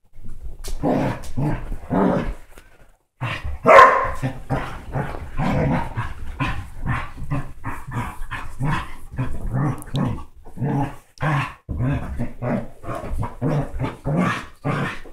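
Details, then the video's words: Playing Basset hound and Dachshund mix dogs: steady stream of short, gruff growls and bark-like snaps, repeated roughly twice a second with brief gaps. "Basset hound and Dachshund mix Playing ruff!"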